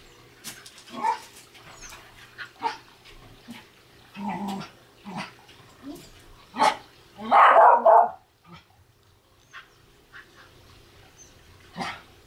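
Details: Welsh Terrier playing with a basketball and having trouble getting it: scattered short barks among thumps and knocks of play, with a louder burst of barking near the end and quiet pauses between.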